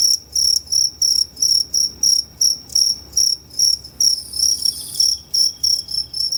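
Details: Two-spotted crickets recorded at Tama Zoological Park, Japan, 29 September 2015, giving two different call types; bright, high-pitched pulsed chirps follow each other rapidly and evenly, briefly merging into a longer trill midway.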